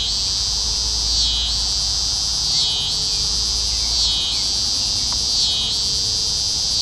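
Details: Scissor-grinder cicada (Neotibicen pruinosus) sings at night in Carey Park on June 15, 2010, the first cicadas heard that year: a loud, high buzz that swells and wavers in regular pulses.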